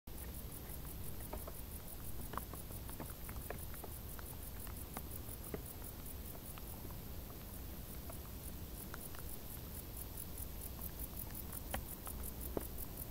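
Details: Crickets in tall grass on a hot summer day, giving high, thin chirps in a steady fast rhythm throughout, over a low rumbling background with scattered soft clicks and patter.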